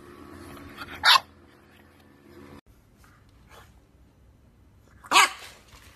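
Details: English Bulldog in a compilation of funny bulldog moments, letting out two short, sharp barks about four seconds apart, the second one higher and more ringing, over a faint steady hum.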